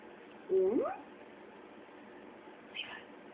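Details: Levi, a 13-week-old Boxer puppy, practising the shake trick: one short whine that holds level, then climbs steeply. A fainter squeaky note follows about two seconds later in a quiet indoor room.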